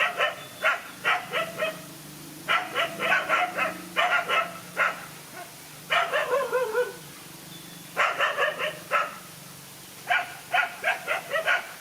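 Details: Fight of a single dog facing two male dogs: repeated bursts of fast, high barks separated by short gaps, with one drawn-out descending yelp partway through.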